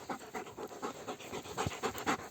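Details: A dog on a walk pants rapidly and rhythmically, about four to five breaths a second, steady throughout; birds are said to be audible in the surroundings.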